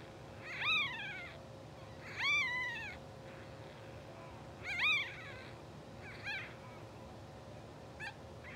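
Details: Newborn English Bulldog puppies, two hours old and asleep, from a blue sable litter, produce brief high squealing cries roughly every two seconds, the first three loud and bent, then two fainter chirps, against a steady background hum.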